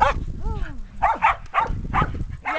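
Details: Sheltie dogs and 8.5-week-old puppies at play outside in a yard, 2010; a person speaks briefly between a series of short, high barks spaced about half a second apart, with a low rumble of background noise.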